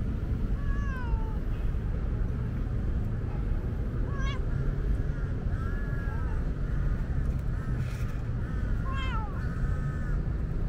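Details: Talkative female tabby cat meowing on a hot day because she is thirsty and wants a drink; about six rising-falling, slightly wavering meows spaced irregularly across the stretch, over a steady low rumbling background noise.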